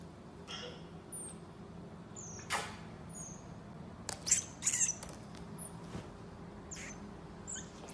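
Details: Young pet pygmy marmoset playing indoors at home, giving scattered short, very high chirps that dip in pitch, mixed with clicks, taps and handling noises in a small room.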